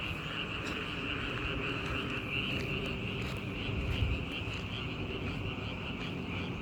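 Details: Frogs calling together in a dense, unbroken chorus, a steady high trilling drone with a second lower band, over a constant low rumble like distant traffic.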